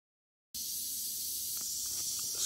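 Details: Western diamondback rattlesnake killing a mouse almost instantly; after half a second of silence a steady, dry, high-pitched hissing buzz starts abruptly and runs unbroken to the end, with a few faint soft clicks.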